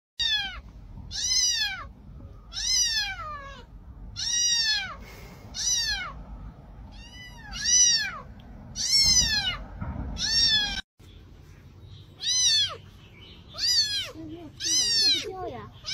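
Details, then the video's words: Kitten meowing: a rapid series of high, thin meows, about a dozen, each a short downward-sweeping squeak repeated every second or so, with a brief break midway. "cute kitten meowing video"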